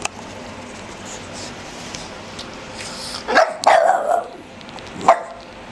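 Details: One-year-old Boston terrier and an 11-week-old black pug puppy playing together on a dog couch; sharp yappy barks and yips burst out around the middle and again near the end, over steady indoor background hiss.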